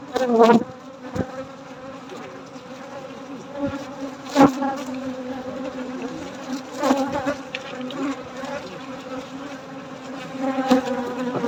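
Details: Honey bees droning at night while honey is harvested: a continuous low buzzing hum with overtones, punctuated every few seconds by sharp knocks and scraping from equipment.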